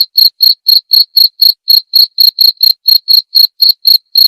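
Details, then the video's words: Tutor recording of a cricket for white-rumped shamas: high, sharp chirps in an even run of about seventeen pulses, roughly four per second, nothing else audible. "masteran suara jangkrik jernih!"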